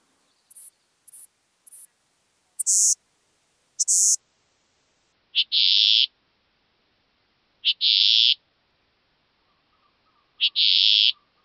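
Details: Western saddle bush-cricket song from Bollenberg, France, recorded 9 October 2022: three quick, very high, dry chirps, then longer, lower, hissing bursts every couple of seconds, with a faint low pulsing hum near the end.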